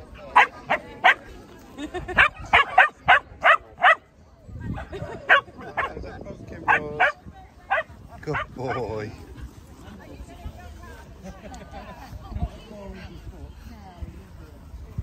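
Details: Terrier barking during an outdoor charity dog walk attended by Cairn and Scottish Terriers: a quick run of about ten sharp, high barks in the first four seconds, then scattered yips amid people talking and laughing.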